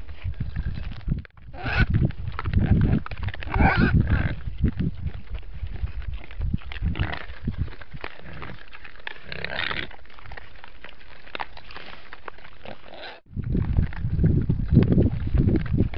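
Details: At a feeder built so only wild boars can get the food, several boars grunt and snort in low, irregular bursts, with rustling and knocking between them and two brief dropouts.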